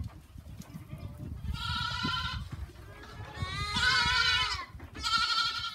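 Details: Farm goats give a run of bleats: a shorter wavering cry, then a longer, louder trembling one, and a final bleat cut off at the end, over soft low background noise.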